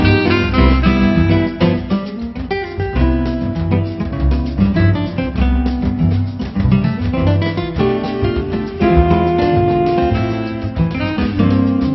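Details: Acoustic guitar music in a flamenco style plays throughout, steadily strummed and plucked, with no animal sound heard.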